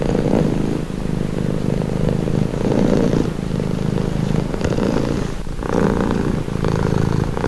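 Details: Purring cat, calming: low rhythmic rumbling in repeated breath phases, a short quieter gap around five seconds before the steady purr resumes.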